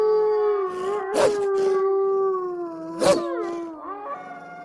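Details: Eastern wolf holding a long, low, steady howl that dips slightly and then fades. Two sharp bursts of noise cut across it, and fainter wavering tones come in near the end.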